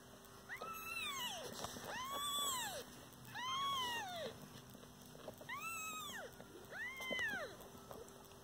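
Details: Kittens with their mother cat, a domestic pet family: high, arching meows in quick pairs and triples, each rising then falling, with short pauses between bursts and a faint steady hum behind.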